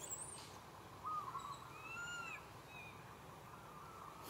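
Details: Young monkey crying to its mother for milk, giving a short wavering wail followed by a longer drawn-out arched cry with harmonics. High bird chirps and a constant outdoor hiss in the background.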